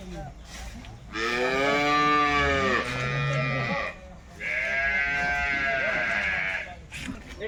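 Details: At a wholesale market, Jersey cattle give two drawn-out moos, each around two seconds and clearly harmonic, separated by a short low grunt and background market noise.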